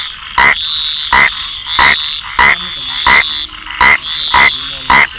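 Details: Rain frog calling with short, harsh, clicky croaks, eight in about five seconds at an uneven pace, over a steady high-pitched insect-like whine and faint lower chirps in the background.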